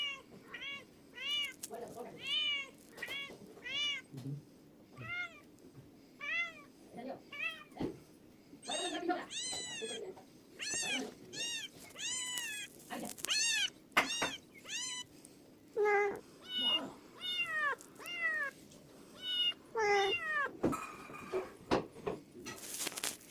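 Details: A cat meows over and over, with roughly twenty short arched meows that rise then fall, often in quick pairs or runs, some higher and more strained. Brief clicks and faint handling noises occur between calls.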